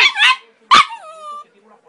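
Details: West Highland White Terrier 'talks' when urged by its owner: a short warbling yowl, then a sharp moan that settles into a steady drawn-out tone before fading.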